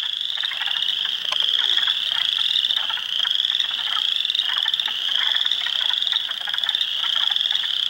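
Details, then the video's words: Hundreds of spring frogs (Spring Peepers, Wood Frogs, Eastern Chorus Frogs) chorus in a swamp at Heartland Forest, Ontario, April 2, 2022. A shrill, continuous peeping swells and fades slightly, mixed with clicking, rattling trills. "Frog Sounds"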